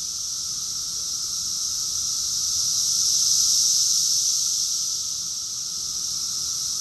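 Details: Massed cicadas in Rockville, Maryland, USA, June 2021, producing a steady, high, hissing whine that builds to a peak and then eases slightly, with a soft, constant, lower tone in the background.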